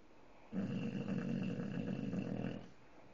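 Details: English bulldog asleep with its eyes open, snoring: a sustained, low, rattling, growl-like snore lasting about two seconds with rapid flutter, starting and stopping abruptly against quiet indoor background.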